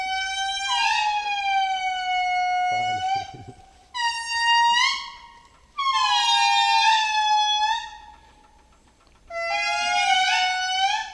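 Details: Indri, an endangered lemur found only in Madagascar, singing in its forest home: loud, rich wailing notes, each held for seconds and gliding slightly downward, given in four long bursts with silent pauses between, and a brief rustle near the start.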